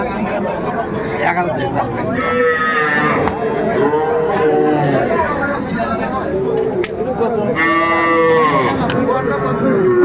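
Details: Small bull calves being sold at a cattle market in Comilla, Bangladesh, in January; repeated long, bending moos rise and fall, some overlapping, amid steady talking and haggling of the crowd.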